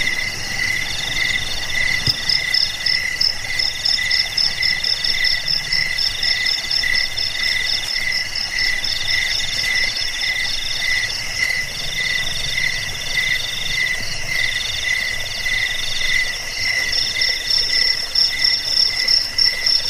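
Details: Several crickets in a continuous chorus, a recording meant to drive off rats, help with sleep and train caged birds; layered shrill buzzing trills at stacked pitches, one rapid ticking voice fading in and out.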